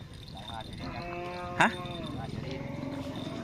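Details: Cattle at a karapan sapi bull race training session on the Asemanis field in Pamekasan: one drawn-out, low, steady moo lasting over a second, set against murmuring crowd voices and a single sharp knock midway.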